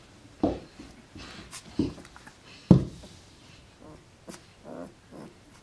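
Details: Alaskan Malamute pups aged twelve days, drowsy and content after feeding, make three short low grunting whimpers in the first three seconds, followed by fainter murmuring sounds and light rustles.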